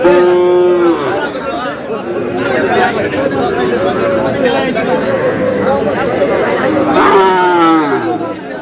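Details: Moos from Sahiwal bull calves amid a busy cattle market on Pohela Boishakh, with a Khulna farmer among buyers. A sustained bellow opens, a shorter falling moo comes near the end, and constant human chatter fills the background.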